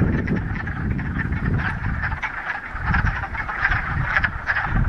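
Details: Chorus of frogs at a mountain pond in the Ramapo Mountains, mid-March, after a week of rain on the first warm day of spring; thick rattling croaks overlap constantly, with bursts of low rumbling noise underneath.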